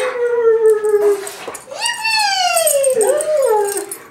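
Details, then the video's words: A Greyhound singing: long drawn-out howls with clear overtones, a steady falling tone, then a sliding wail that rises and dips again. "Singing Greyhound"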